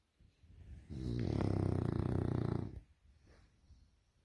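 A French Bulldog gives one long, low, rattling snore, followed by a softer breath out.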